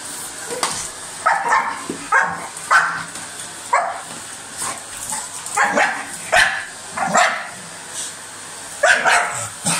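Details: Dog biting at a vacuum cleaner, letting out short, harsh barks and yips in irregular bursts about once a second, over the steady whine and hum of the running machine.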